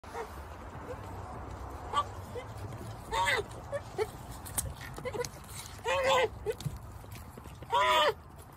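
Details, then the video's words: Nigerian Dwarf goat twin kids, very vocal while nursing, give short wavering bleats with a full mouth, three louder ones near three, six and eight seconds, with softer muffled calls between and a person talking faintly. "Nigerian Dwarf Twins Nursing - Talking with a full mouth"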